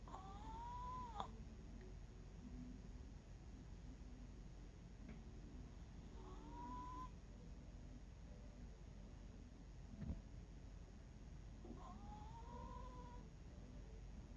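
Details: Sleeping 11-year-old Miniature Pinscher snoring: faint low rumbling breaths under a steady hiss, with a thin whistled squeak that rises then flattens, returning about every five to six seconds.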